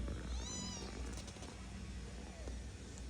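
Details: Domestic cat meowing: a short rising-falling meow near the start, with a faint second meow later, over steady low hum and background room noise.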